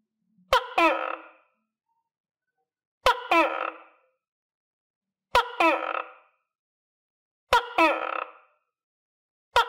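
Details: Tokay gecko in captivity, recovering after deworming and vitamins, calls in a steady series: five two-part notes roughly every two seconds, each a crisp click then a rasping, harmonic croak dropping slightly in pitch.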